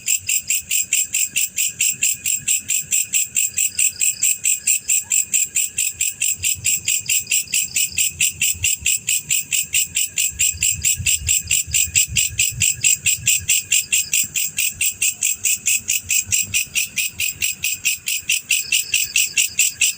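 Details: A male black cricket sings a long unbroken series of bright, rapid chirps, roughly 136 pulses per minute, very regular and high-pitched, with only soft low hum beneath.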